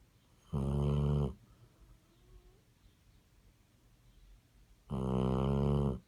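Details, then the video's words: Basset Hound deep in sleep, producing two long, coarse, rattling snores about four seconds apart, softer breathing audible in the gap, indoors and otherwise quiet. "Snoring Basset Hound"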